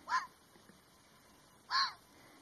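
A red fox gives two short, hoarse barks about a second and a half apart.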